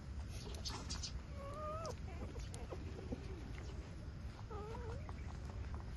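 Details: Eight-day-old street dog puppies nursing from their mother: two short, wavering, whistled whimpers with overtones, the second rising and falling, over soft clicking suckling noises and a steady low rumble.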